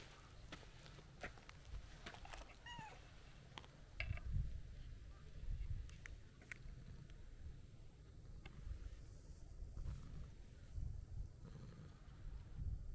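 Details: A stray white-and-brown cat walking up along a roadside and seeking affection gives a short, wavering meow near the start, with soft clicks, scattered taps and a steady low rumble throughout.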